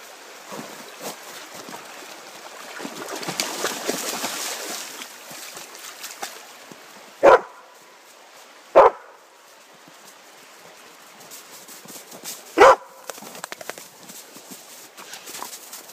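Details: Yellow Labrador Retrievers playing in snow and freezing water; three sharp, short barks ring out, two close together near the middle and one a few seconds later, over a steady wash of splashing and running-water noise.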